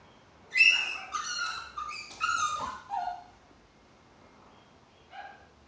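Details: Chihuahua, a small pet dog, giving a run of high, harmonic whines and yips that fall in pitch, five or six quick cries over two seconds, then a pause and one shorter whine.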